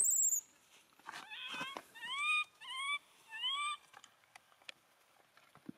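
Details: An abandoned monkey cries while hugging its owner's feet: four short, arched, whistle-like wails with bright overtones in the middle of the clip, between faint clicks and rustling.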